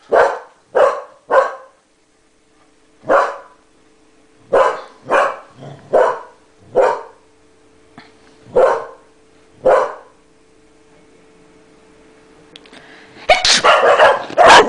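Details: English Cocker Spaniel Max barks at his owner in reaction to a sneeze, with Gina stepping in to drive him away; single sharp barks in loose bursts, a quiet pause, then a noisy scuffle at the end.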